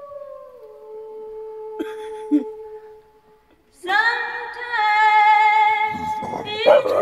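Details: Zara, a British bulldog, howls along to Johnny Cash on cue: a long, sustained, tonal wail with many bright overtones and slight wavering, following quieter steady tones, with a person singing and cheering nearby.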